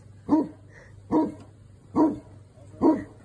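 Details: Phantom the Newfoundland guarding his property while the Amazon truck delivers: four deep, regular barks spaced about 0.85 seconds apart over a low background hum.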